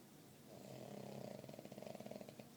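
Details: Cosmo, a puppy, taking a nap: low rumbling snores that swell over the first second, then break into a rapid series of short pulsing breaths, each snore vibrating audibly in a quiet indoor room.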